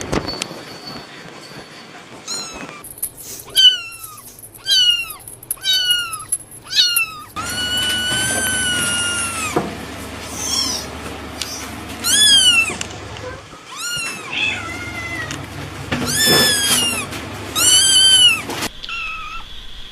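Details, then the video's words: Small cats of different colours calling in a rapid series of short rising-falling meows, then longer drawn-out mews overlapping one another. A low background hum is heard in the middle stretch. "small cats making sound"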